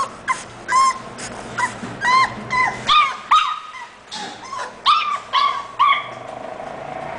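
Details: English Bulldog named Fantasia: about ten high-pitched, tonal whimpers and yips, each short and slightly falling, in quick uneven succession over seven seconds, with low background hum between calls.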